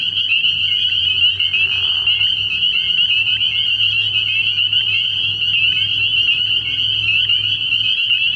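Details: Many spring peepers chorusing after dark at a pond early in the year: unbroken high-pitched peeping, with a short lower rasping burst around two seconds in and a quiet low rumble below.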